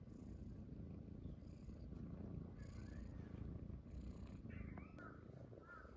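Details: Morning purring from Munchkin kittens Pochakun and Chaabo lying on their owner's belly at home: continuous low rumble, with a few faint thin squeaky chirps near the end.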